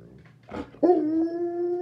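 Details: A female Alaskan Malamute, mother of four puppies aged six and a half weeks, gives a steady tonal howl that jumps sharply then holds its pitch. She reacts to seeing her puppies on a screen after 24 hours apart during weaning.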